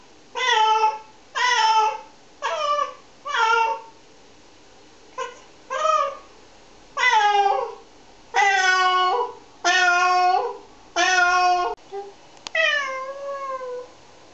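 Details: Meowing from a cat being shampooed, three cats washed in turn; a run of short clipped meows followed by longer wavering drawn-out cries, irregular spacing, indoor room.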